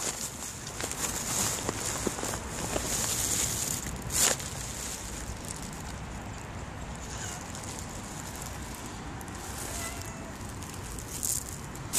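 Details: Outdoor ambience of rustling, scattered footsteps and a sharp crackle, with no animal voice heard.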